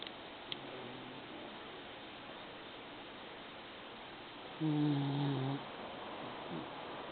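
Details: Old-man-like snoring from a female pet Maltese: a faint low snore early, then one louder, roughly one-second rumbling snore with layered tones, in near silence indoors.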